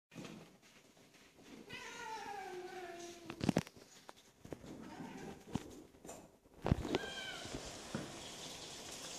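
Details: Domestic cat meowing: a drawn-out, wavering meow in the first seconds with a falling tail, followed by sharp clicks and knocks, then another short meow near the end over a noisy indoor background.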